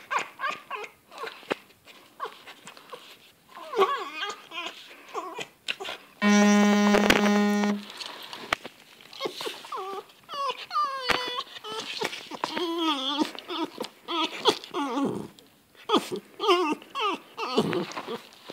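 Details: Foxes give a rapid string of whiny, warbling yelps and chattering squeals, some rising and falling, during zoomies.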